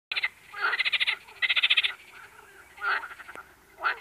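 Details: Frogs calling in bursts of rapid pulsed croaks, each burst about half a second long, with several separate bursts and gaps of quiet between them.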